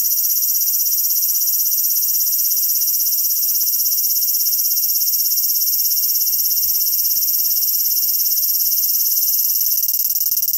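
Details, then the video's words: A cicada shrills loudly in Japanese summer heat, its continuous high, piercing buzz holding level from start to finish, finely pulsed within, while scattered faint clicks sit low in the background. "A very loud Cicada"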